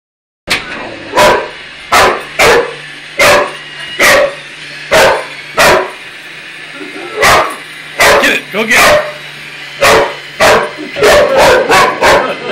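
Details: Boxer dog named Shoeless barking to challenge a toy robot indoors; loud, sharp single barks spaced about every half second to second, with short pauses and a faint steady hum underneath.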